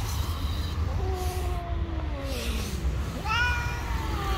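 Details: Two stray cats meeting on the street in a fight, with low drawn-out sliding growls, then a higher rising wail near the end, over heavy low traffic rumble.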